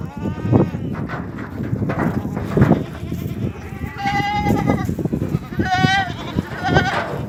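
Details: Goats at a farm in Ajmer, Rajasthan, India, giving several short tremulous bleats in the second half, each a shaky nasal cry, over steady rustling and clatter from the pen.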